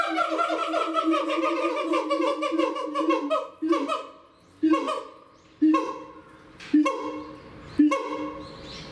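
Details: A pair of siamangs, male and female, in a zoo in Japan, recorded in December 2018, call loudly to claim territory: a dense stream of harmonic whoops gives way to sharp loud barks repeated about once a second.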